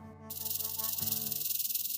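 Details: Rattlesnake warning signal made by shaking the tail so hollow keratin rings knock together: a dense, hissing rattle with fast, even pulsing for about two seconds over steady background musical tones.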